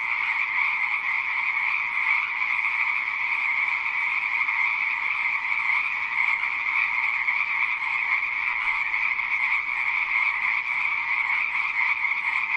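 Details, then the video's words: Continuous croaking from a chorus of frogs, a rattling, even drone with high and low tonal layers, a few slight surges in loudness but no silence and no other sounds. "Rah ama harre | frog | ضفدع"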